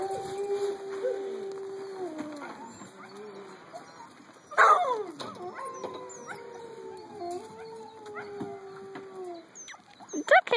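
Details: Eight-week-old puppies from Mahi's litter, growing fast, give long wavering whines and soft howls. Several drawn-out tones overlap, sliding up and down, with a sharper yelp near the middle and brief squeaky cries at the end.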